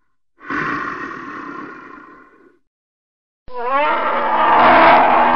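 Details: Polar bear voice: a harsh growl that tapers off over two seconds, a short silence, then a powerful roar starting with wobbling rising sweeps and growing steadily louder to the end.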